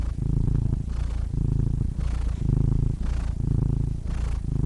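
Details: Close, loud purring from a cat, a thick low vibration pulsing in slow waves roughly once a second, each swell separated by a brief softer breath.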